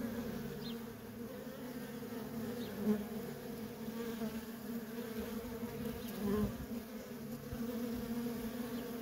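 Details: Feral honey bee colony with worker bees coming and going, a steady banded hum swelling briefly as single bees pass close, around the three- and six-second marks.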